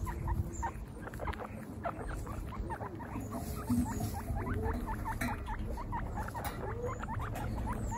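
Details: Young guinea pigs from a group of 26 females, out on their first picnic, give a busy stream of brief rising and falling squeaks. Several overlap, with soft pattering and a steady low outdoor hum underneath.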